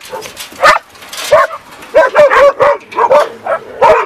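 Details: Dog giving a greeting: a run of short yelping, whiny barks with rising and falling pitch, about eight bursts in four seconds, excited and uneven in rhythm.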